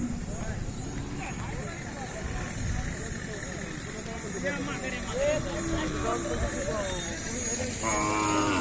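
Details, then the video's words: Khillari young bulls at Sangola, 28 April 2024, offered for sale: low lowing calls among steady background noise, with people talking nearby and a louder rising call near the end. "सागोला खिलार खोंड खोंड"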